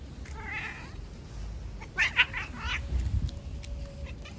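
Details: Outdoor stray cats in a fight, a ginger male attacking a tricolor female. A soft wavering moan comes first, then a loud strained yowl in quick bursts, with a steady low rumble of background noise throughout.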